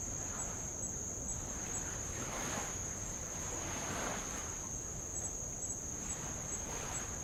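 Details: Insects on Avalau, an island in the Kingdom of Tonga, recorded while rowing past old lava: a constant piercing high-pitched hum with faint flickers above it, while gentle waves swell and hiss underneath.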